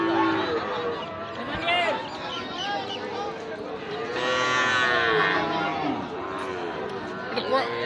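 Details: Young Sahiwal bull calves at the Ambari cattle market: several overlapping drawn-out moos, rising and falling, blend into a steady crowd murmur with a busy, noisy market background.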